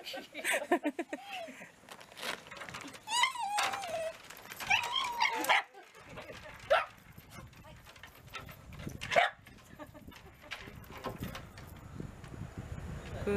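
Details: Shiba Inu father and son at a reunion with their owner's sister and niece: high, tonal whines that rise and fall in short harmonic bursts, several in the first six seconds, over people talking and laughing.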